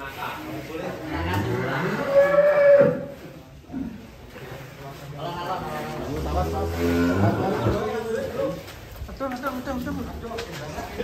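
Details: Deep, strained lowing from Giant, the giant fat cow, swells to a strong held note midway, amid overlapping men's voices and laughter in a noisy yard.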